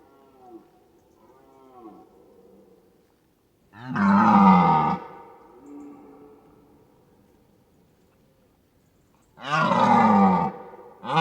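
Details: Deer giving two loud, harsh, roaring bellows about six seconds apart, each lasting roughly a second, with softer, lower moaning calls drifting in between and a third bellow starting right at the end.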